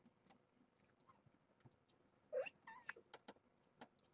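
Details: Morning breakfast formula feeding for a litter of seven young kittens of the former stray Nala Se at Purrfect Pals; one short, bright mew stands out halfway through, followed by soft clicks and rustling handling noises.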